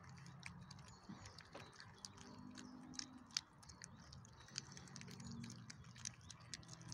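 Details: Chow Chow puppies eating their dinner, with sharp crunching clicks and smacking bursts over a low steady hum.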